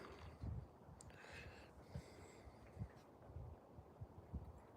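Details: Alaskan Malamutes Moose and Raven, a pair of dogs playing outside, heard breathing in soft, low, rhythmic huffs about every half second, steady throughout, over a faint outdoor hiss with a brief brighter rustle near the start.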